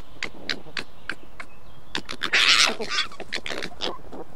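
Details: Red fox cubs in aggressive fights giving keckern screams: a rapid run of harsh, raspy chattering bursts, roughly three per second, that swells into a louder grating scream midway, then falls back to clipped chatters.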